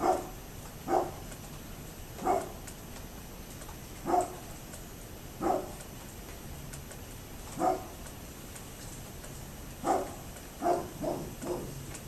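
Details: A neighbour's dog barks repeatedly on 27 October 2011, sharp single barks spaced roughly every one and a half to two seconds, quickening into a close cluster near the end, over a constant low hum.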